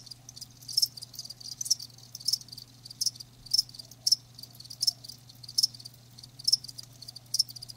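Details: Live crickets give sharp, high chirps spaced roughly every three-quarters of a second, with quieter trills between them and a steady low electrical hum underneath.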